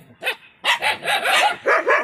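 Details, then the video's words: Angry dogs barking, recorded August 7, 2022: a short burst of sharp, rapid barks, about six in two seconds, the first one softer and set apart from the rest. "#angry dogs"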